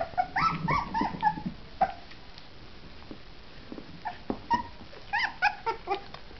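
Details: Two three-week-old orphaned female puppies at their first meal of mush, giving high, thin whimpers and squeaky yips in irregular bursts, with faint lapping and handling noises between calls.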